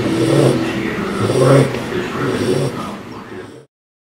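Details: Phoebe, a four-month-old female English Bulldog puppy, snores loudly in her sleep a few days after arriving home; low, rattling, rumbling snores swell twice, near the start and again mid-way, then fade and stop.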